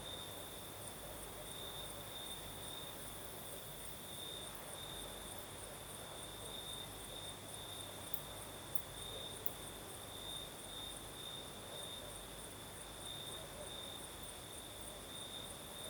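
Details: Night chorus of crickets in the south of Crimea, breeze blowing: continuous high-pitched chirring that pulses gently without pause, with a few tiny clicks near the middle over a steady background hush.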